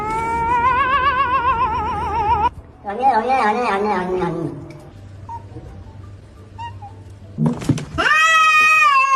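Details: Cats making weird, funny noises: drawn-out, quavering meows and yowls with a wobbling pitch, a quieter stretch with low hum in between, then a final high, wavering yowl.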